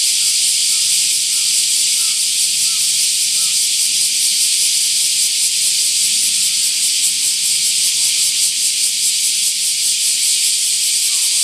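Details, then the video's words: Bear cicadas chorusing loudly in trees beyond a bridge in Shukugawa Park, Kōroen, Japan, 31 July 2013: an unbroken, harsh, high-pitched buzzing wall with slight rhythmic pulsing and a few faint short chirps early on. "香櫨園 夙川公園のセミの鳴き声"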